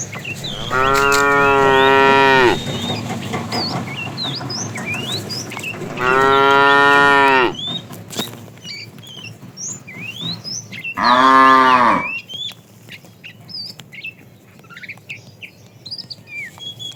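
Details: Tame fat cow in a herd being driven in the afternoon, calling a female: three loud harmonic moos, each about one to two seconds, spaced roughly every five seconds, over a steady chorus of chirping birds.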